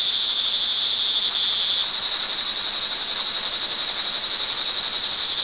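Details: Rain-time cricket chorus recorded early evening, June 24, 2011, Montalban, Rizal, Philippines; continuous high trilling with a brief shift in tone near two seconds, otherwise an even, hissing wash of sound.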